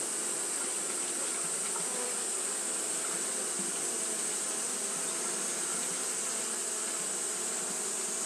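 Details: On a hot day, Japanese honey bees keep up their fanning behaviour, giving a constant, many-winged buzzing drone, low and layered, steady from start to end beneath a bright, even hiss.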